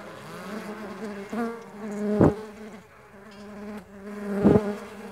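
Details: Mandaçaia stingless bees flying close, a rich buzzing hum with two loud passes as bees sweep right by, each a sharp swell about two seconds apart, between steadier droning.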